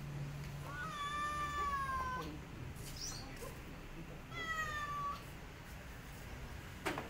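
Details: Mother cat guarding her kittens against a white cat lets out two prolonged wailing meows, each holding a steady tone before trailing off, with a low hum and a brief knock near the end.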